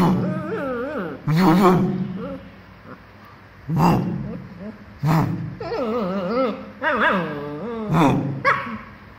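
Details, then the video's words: A 2-month-old female German Shepherd puppy, playing, gives sharp, high barks mixed with wavering, whiny yelps. "2 months old German Shepherd(maggie) puppy barking"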